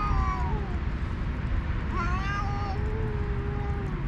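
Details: Rival alpha cats, stray leaders of two cat groups on a cat island, exchanging vocal threats as others eat; a long, slowly descending moan overlaps a higher rising yowl, with steady low-frequency rumble beneath.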